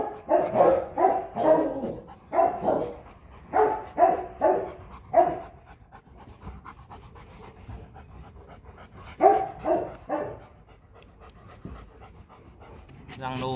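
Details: Powerful barking from a Rottweiler kept as a family guard dog: rapid runs of about a dozen gruff woofs, a pause of several seconds, then a few more barks and a brief whine at the end.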